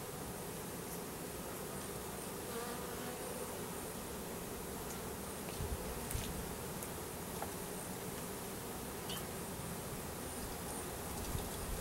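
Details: Russian/Carniolan hybrid honey bees, a 3 pound mail-order package of about 10000 workers with one queen, being installed into a new hive in April 2012; a steady dense droning hum with scattered faint clicks and ticks throughout.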